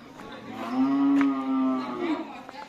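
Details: Cattle at karapan sapi bull race training on the Asemanis field in Pamekasan: one loud, sustained, rich harmonic moo lasting about a second, holding steady pitch before fading with a slight downturn, with faint background noise before and after.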